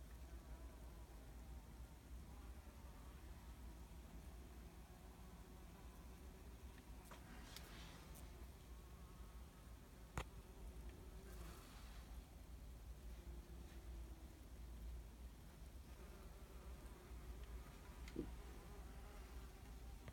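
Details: Wasps at an unusually decorated nest give a low, steady droning buzz that wavers slightly in pitch, with a few faint clicks.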